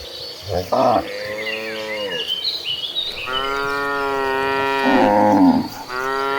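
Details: Dozens of tame cattle moving to a green pasture, calling in long sustained moos that overlap and shift in pitch, one after another with barely a pause, against constant bird chirping.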